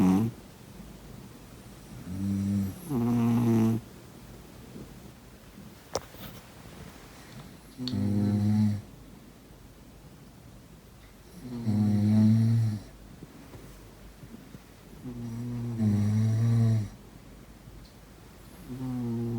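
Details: Sleeping cat snoring steadily: about six rasping, buzzy snores repeated every three to four seconds, each a deep, slightly wavering nasal drone, with a brief click midway through.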